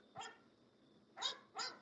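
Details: Barking from English Bulldogs kept at a kennel of guard and working dogs: three sharp, rough barks, one alone then a quick pair close together, over a steady faint hum.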